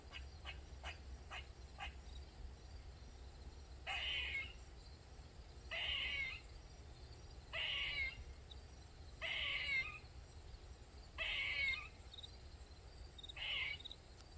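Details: A squirrel in a Maryland backyard calls over and over with loud, rasping cries, each about half a second long, repeated roughly every two seconds, after a few sharp clicks, under a steady outdoor hum; it had cried for over 20 minutes.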